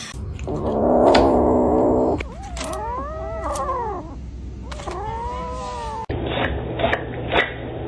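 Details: House cat making long, wavering, yowling cries that bend up and down in pitch, two drawn-out wails over a steady low background hum.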